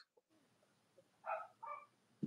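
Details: Two brief, tonal whines rise out of a soft background hiss, from Cavalier King Charles Spaniel puppies of Robin and Myra's litters on a chilly Monday morning live stream in the US near Halloween.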